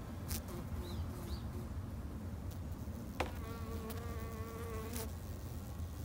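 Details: Steady low hum of Japanese honey bees at a backyard hive, with one bee's clear whining tone passing close for about two seconds, plus brief clicks and faint bird chirps early on.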